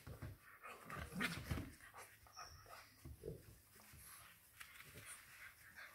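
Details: English Bulldog puppy, one of two FCI English Bulldogs (Churchill and Mable) kept as house pets in Nairobi, Kenya, panting indoors: quick, breathy bursts with rough, low-pitched huffs, fairly fast but uneven rhythm, faint household noise behind.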